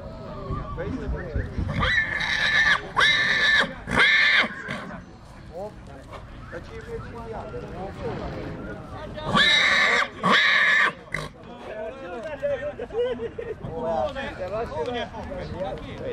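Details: Two-year-old stallion colt in Dăneștii Chioarului, Maramureș, Romania, giving loud, harsh, broadband neighs in two bursts of about two seconds each, with men talking throughout.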